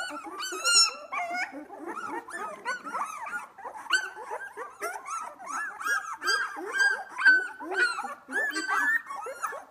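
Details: Two-week-old Australian Labradoodle puppies from Whinney's litter, just starting to open their eyes, at playtime; many overlapping high whimpers, squeaks and yips, arched and wavering, chattering almost continuously with small growls between.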